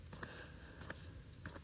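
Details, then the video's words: Crickets heard during an early morning walk under moonlight, said to sound like summer; a thin, steady high-pitched trill runs on, then breaks off, over soft low background rumble and a few faint ticks. "And yeah, you can hear the crickets. It just sounds like summer."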